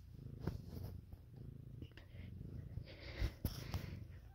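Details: Kittens of Lopsie and Gipsy, a Siamese cat and a calico cat, indoors: a steady low rumbling purr runs throughout, with soft clicks and brief handling noises and a faint voice near the end.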